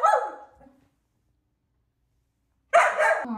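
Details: Aria, a pet Samoyed female, gives two sharp, bright barks about two and a half seconds apart with near silence between them, indoors.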